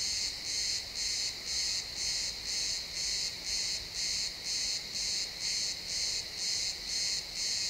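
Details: ['At sunset in a pine forest, crickets chirp in a steady rhythm, close to two pulses per second, high and shrill, recorded live in XY stereo with only faint low ambience beneath.']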